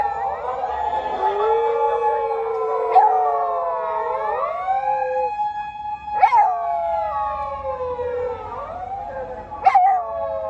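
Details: Dog sisters on an evening walk howling along with a police car siren; drawn-out wavering howls rise and fall, mixed with the siren's sweeping tones and brief sharp knocks roughly every three seconds.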